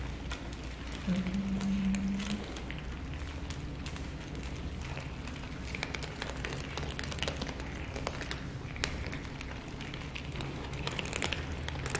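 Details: Dense continuous outdoor noise with a low rumble and patter like rain or traffic, and no distinct animal sound.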